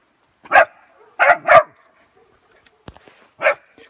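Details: A 3-month-old West Siberian Laika puppy meets a wild boar for the first time, giving short, sharp, high-pitched barks, one quick pair among single yaps.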